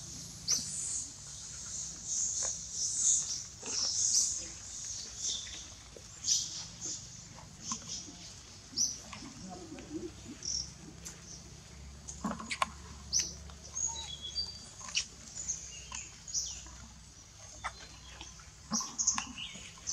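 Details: Monkeys during a mother, Libby, taking her baby Brady back from another monkey, Rose: repeated shrill high squeals and short chirps scattered through the stretch, some in quick bursts, over a steady hiss and low background rumble.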